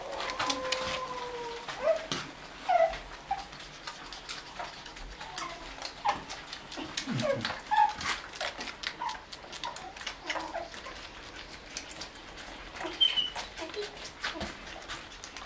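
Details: White Shih Tzu puppies, one month and 28 days old, with their mother at milk time: thin, steady whimpering whines at the start, then scattered short high squeaks among many clicks and taps.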